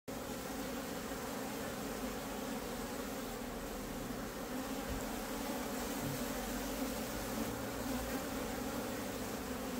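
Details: Honey bees in a beehive as the queen searches for a good spot to lay her egg; a dense, steady buzzing hum fills the whole recording, with a low drone underneath and no clear breaks.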